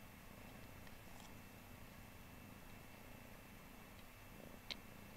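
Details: Seven-month-old female kitten, in heat, sucking on an old blanket like a baby indoors; a quiet, steady low rumbling purr throughout, with faint soft clicks and one brief sharp tap near the end.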